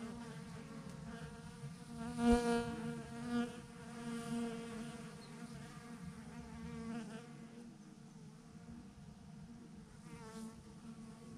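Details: Massive swarm of honey bees clumped on a branch: continuous layered humming, with louder close passes of single bees around two to four seconds, then a steadier, softer drone.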